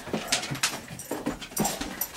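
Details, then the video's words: A 9-year-old Great Pyrenees named Mogul, indoors and playing like a puppy as his back seems to feel better, gives short breathy huffs and pants in bursts about every half second, with faint scuffling in a small room. "9 year old great pyrenees acting like a puppy"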